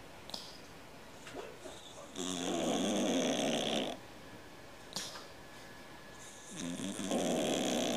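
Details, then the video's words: Snoring cat, compared to a man's snore: two drawn-out, grating, buzzy breaths about four seconds apart, with faint sniffs and soft exhalations between them in a quiet room. "Кот храпит как мужик"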